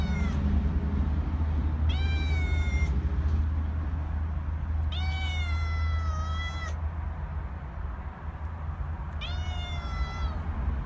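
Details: Outside cat meowing three times at roughly four-second intervals, each cry long and bright with a falling tail, against a constant deep rumbling hum.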